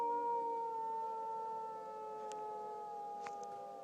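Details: Dog howling with a tornado siren, a sustained, smooth wail holding nearly level pitch throughout, slowly fading. The siren tone runs underneath, and two brief clicks are heard near the end.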